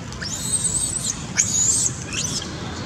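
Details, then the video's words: Baby monkey Rex begging Little Vikki: long, thin, high-pitched squeals, each held close to a second, two drawn-out whines followed by a shorter broken one, above a faint low rumbling background. "Beg.. Beg..Poor Baby Monkey Rex Brave To Request Anything, Monkey Rex Beg Little Vikki"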